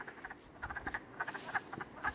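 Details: Around midnight, a chorus of frogs gives short, overlapping croaks in quick, uneven succession at a small temporary pool fed by a trickle after heavy rain or spring thaw, near a quiet highway.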